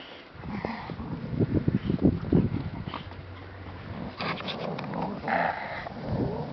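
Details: American Staffordshire Terrier giving low, rumbling growls and grunts in quick irregular pulses, loudest in the first half-second to two and a half seconds, then softer throaty rumbles with a few higher whiny tones.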